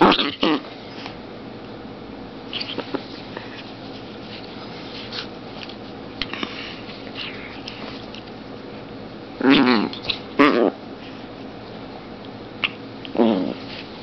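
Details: Zombie, a playful 2.7 lb long-haired female Chihuahua, lets out a few short, rough, harmonic growl-yaps: a pair near the end's start of the last third, then one more a few seconds later, with quiet rustling and faint handling noises between.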